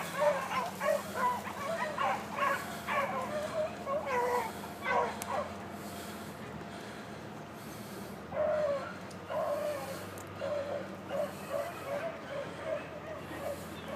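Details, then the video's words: Quieter, more distant baying from young hunting dogs chasing a cottontail rabbit: clusters of yelping barks early on, a lull, then fresh scattered yelps, over a steady low hum. "Rabbit Hunting Dogs"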